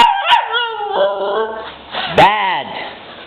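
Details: Siberian Husky puppy, female, crying while her owner scolds her as a bad dog: a wavering, falling whine, then a sharp rising-and-falling howl-like cry, with the owner's voice talking over parts of it.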